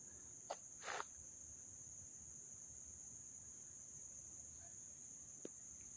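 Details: Continuous shrill, even ringing of crickets at a Little League field in Dobbs Ferry, New York, recorded August 29, 2024. The drone holds one high pitch, with a couple of brief footstep taps near the start.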